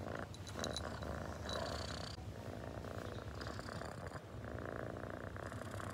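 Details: Pet cat giving a low, even purr, a rumbling drone under some faint mid-pitched tones and light handling noises that come and go.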